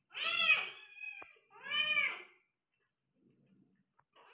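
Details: A Persian cat in the middle of giving birth to five kittens gives two long, wailing meows close together, with a faint click between them, then near silence and a soft start of another call.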